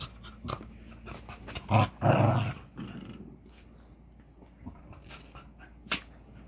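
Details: A Westie puppy and a cairn terrier playing together indoors, rough growling bursts in the middle, with scattered thumps and scuffling clicks around them.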